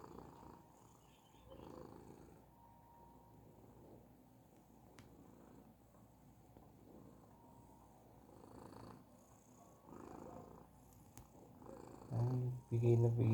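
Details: Persian cat purring, a low steady rumble pulsing quickly in soft rhythm, ending with louder thumps or handling noise.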